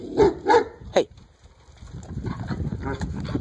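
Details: Alaskan malamute, a 12-year-old white dog, lets out three quick, harmonically rich woofs within the first second, then falls quiet while low background rumble continues.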